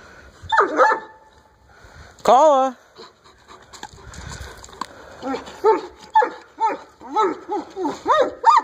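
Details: White twelve-year-old Alaskan Malamute named Tokola, giving a long wavering howl-like call followed by a run of short rising-and-falling woo-woo vocalizations, with a person speaking early on.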